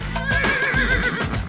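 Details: A horse gives a loud, wavering whinny lasting well over a second. It starts with short pulsed bursts and then moves into a shaky, quavering tone that rises and falls, with some background noise underneath.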